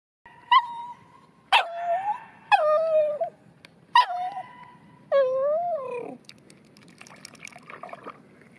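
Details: Cairn Terrier Rocky at a bathing pond, whining in a series of high, drawn-out tonal whimpers with sharp yelping onsets, about one each second, some sliding down then rising again, with faint water noise between them.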